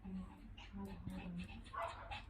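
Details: Shih Tzu dogs playing, mock fighting: drawn-out low tonal growls and whines with brief breaks, followed by a person's voice urging them on.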